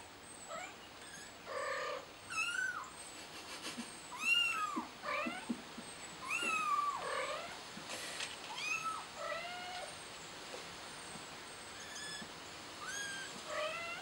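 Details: Kitten trapped on a flower pot, calling with a rapid series of high, arching meows that rise and fall, some strained and drawn out, roughly every second. A faint steady high tone runs underneath.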